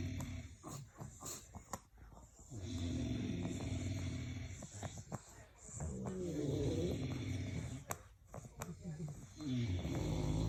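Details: English bulldogs snoring while asleep: deep, rough rumbling breaths below the midrange, swelling into loud raspy stretches of several seconds and separated by quieter pauses, with faint clicks and background noise.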